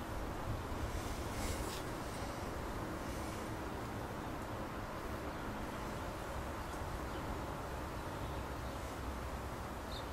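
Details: A bee swarm gathered close-up on a backyard bougainvillea in May, a dense, steady, low droning hum with a broad rushing texture holding level throughout, a few faint higher ticks above.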